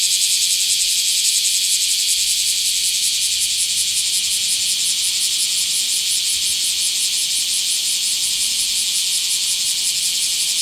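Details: In a small park on 24 July 2026, a Bear cicada gives a sustained high shrill drone with fine rapid pulsing, nearly continuous and even in loudness, faint low rumble beneath.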